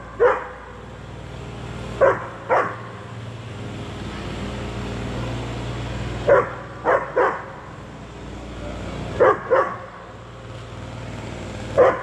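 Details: An 8-month-old German Shepherd barking on seeing a cat it wants to play with, recorded on a GoPro: short sharp barks, mostly in pairs, spaced a few seconds apart, over steady background hum.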